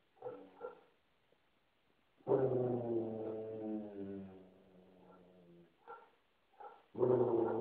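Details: Basset hound defending its couch from another dog: short yips, then a sustained, deep baying howl of about three seconds sliding slightly downward, further brief grunts, and a new loud bay starting at the end.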